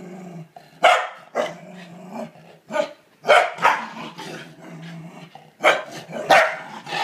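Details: Corgi named Kevin Bacon reacting to a toilet bowl brush it hates: sharp, loud barks at irregular intervals, separated by low, rumbling growls that run steadily between outbursts.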